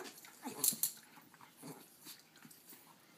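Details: Indoors, miniature schnauzers Ruthie, 6 years old, and puppy Jackson, 10 months, tussle for one dog bed. Brief throaty growls rise and fade among bright scratching and rustling noises.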